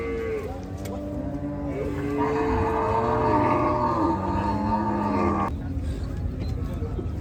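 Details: During unloading at a cattle farm, Gaiya cows give long, overlapping moos, several sustained low tones layered together for about five seconds before stopping abruptly, over steady background noise.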